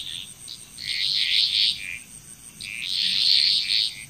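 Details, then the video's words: Two loud swells of overlapping frog croaks, each lasting over a second, from a chorus in Bali, Indonesia, with a faint steady high whine throughout. "Frog Chrous"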